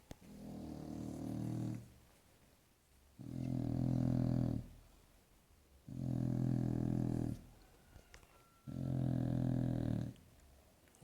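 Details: Sleeping bulldog snoring deeply, four long low rumbling snores each lasting about two seconds, spaced by quiet breaths roughly every two and a half seconds.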